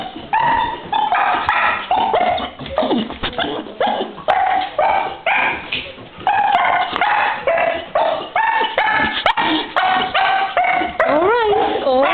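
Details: Female dog greeting her owner after being left alone for an hour: a rapid series of high, excited yelps and whining barks repeated about every half second, ending in wavering, rising whines.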